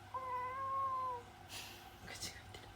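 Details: A ginger tabby domestic cat gives a single drawn-out, steady meow, slightly rising then easing off, apparently without opening its mouth.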